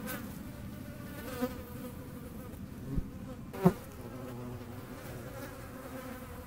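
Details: Low even buzz of a hornet in flight, broken by a few brief taps, the strongest just before four seconds.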